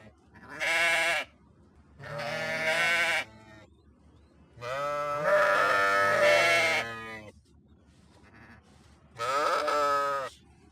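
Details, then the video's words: Four strong, trembling sheep bleats, the third drawn out over about two seconds, separated by quiet gaps with light background noise. "صوت خروف"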